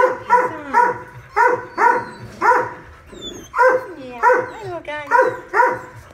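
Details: At Modesto, a mother dog with puppies barks steadily, about eight loud, harsh barks in six seconds, with brief higher yipping and whining slides between them.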